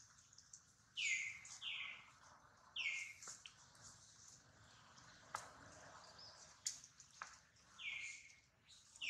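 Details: Baby monkey Duke, hurt after a failed catch by his mother, with Duchess worried over him; high, falling cries repeat about every two seconds, each short and sharply descending, with faint clicks and drips between.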